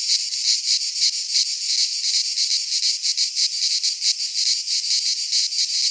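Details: In midsummer in Greece's pine forest, a cicada chorus fills the air with an intense, high, grating buzz, pulsing quickly and evenly with small surges in loudness.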